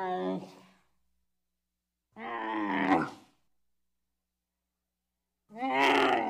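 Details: Bactrian camel calling: three loud, harsh, groaning bellows with rich harmonics, each under a second long, separated by silences of one to three seconds, the last one rougher and noisier.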